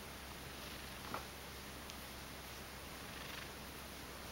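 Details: Purring from a two-year-old pet Ragdoll cat: a low, constant vibrating rumble throughout, soft and close, with one brief rustle just past the middle.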